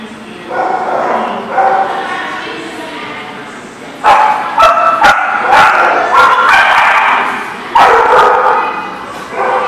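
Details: Many dogs barking together at a dog kennel or boarding lot, recorded on 10 December 2018; overlapping sharp barks and yips form a dense, continuous chorus with louder bursts near four and eight seconds.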